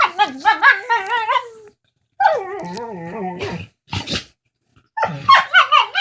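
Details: Two pet dogs making funny talking noises to each other over a bone: wavering, yodel-like whines and moans in rapid pulsing bursts, with breathy snorts between phrases.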